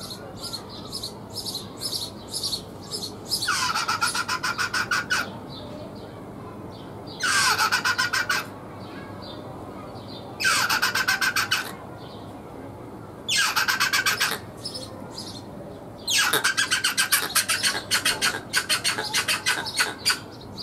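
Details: Rock hyrax, also called rock rabbit, singing: five loud bouts of harsh, rasping, rapidly pulsed notes, each bout lasting one to two seconds and coming about every three seconds, with softer ticking calls between bouts.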